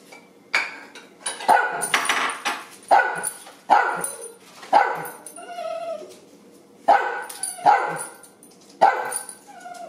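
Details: Two pet dachshunds at breakfast time, one barking and one whining for food: sharp, loud barks come roughly once a second in uneven bursts, with thin harmonic whining in the gaps between them.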